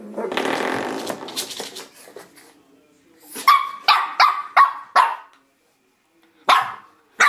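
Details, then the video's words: Misty, a Shih Tzu puppy, going after a door stop: a stretch of scratchy rattling at first, then five quick high-pitched yaps followed by two more after a pause. "Shih Tzu puppy attacks Door Stop."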